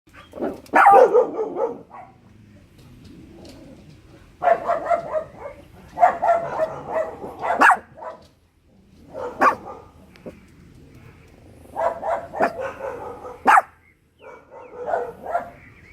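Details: Dogs alert to neighbours busy in the garden, barking in short, rough bursts separated by quiet gaps of one to three seconds.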